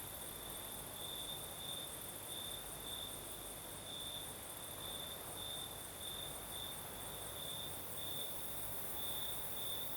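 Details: Crickets singing in a southern Crimean night with a light breeze: an unbroken piercing trill with brighter bursts roughly every second, a faint higher buzz above, and a broad wind hiss below.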